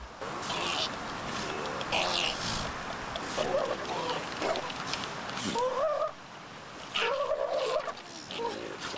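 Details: Fighting sea lions in a colony off South Australia, where both males and females turn aggressive and pups suffer; harsh, wavering bleats and barks break out among the crowd against heavy surf and wind.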